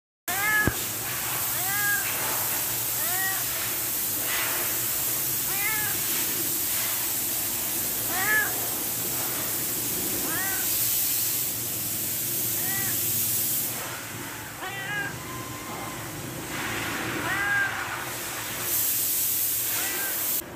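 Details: Hungry cat asking for food, meowing over and over in short, arched, harmonic calls, roughly one every second or two, against a steady hissing background noise.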